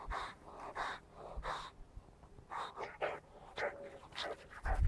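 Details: Boxer puppy Zach, five months old, during a mad half hour of play, tossing a glove and rushing in for a drink: quick breathy panting bursts about twice a second, with soft knocks and rustles in between.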